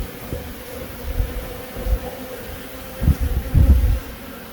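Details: Honey bees buzzing in Himachal Pradesh, India, a low droning hum that swells in brief bursts as insects pass close.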